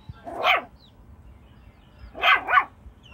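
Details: Jack Russell Chihuahua mix dog barking while playing with chickens: one sharp, mid-pitched bark, a short pause, then a quick double bark, over a quiet background.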